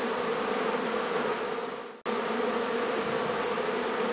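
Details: Honey bee hive being removed from a barn in La Feria, Texas, and relocated: a dense, steady colony hum centred low and even, with a brief cut to silence midway before the drone resumes unchanged.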